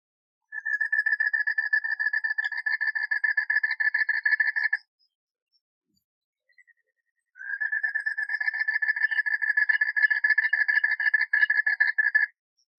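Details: A male Asian common toad (Duttaphrynus melanostictus) in Cibubur, East Jakarta, gives two long, rapid pulsed trills, its advertisement call attracting females, who choose mates by call.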